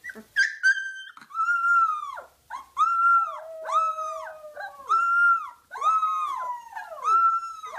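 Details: Puppy howl in a repeated pattern: arched, rounded notes roughly every second, each rising then falling, joined by a lower drawn-out tone midway.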